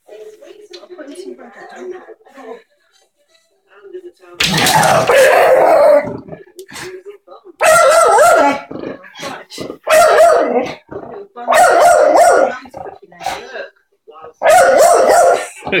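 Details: Staffordshire Bull Terrier named Tia at Center Parcs, greeting a squirrel: five loud, harsh, clipped barking bursts of about one to one and a half seconds each, separated by short gaps, after a quieter stretch of low murmuring vocal sounds.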